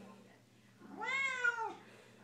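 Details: Indoor female Siamese cat singing along with her owner's Les Mis tune, giving one sustained, wavering meow lasting about a second, rising and then sliding down, following a quiet pause.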